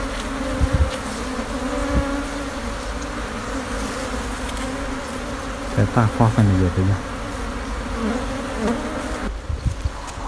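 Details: Wild honey bee colony nesting for a long time under an abandoned sofa overgrown with vines, sixteen combs, opened for a honey harvest: a steady low droning hum with a brighter overtone, a brief human voice and a few knocks midway.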